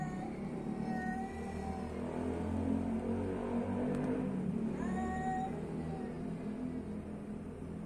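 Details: Meowing street cat: a level mew early on and an upward-bending meow later, set against continuous low-pitched background sound resembling music.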